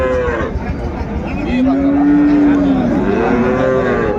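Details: Cattle at Ambari haat in Dinajpur, Bangladesh, on 31 January 2025, where cows and calves are traded: one steady, sustained low moo lasting over a second, then shorter bellows, with crowd talk throughout.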